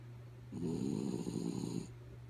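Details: Kaya Boo, a sleeping dog, snores in one long rasping breath of about 1.3 seconds, a rough low rumble with a steady faint hum underneath in a quiet room.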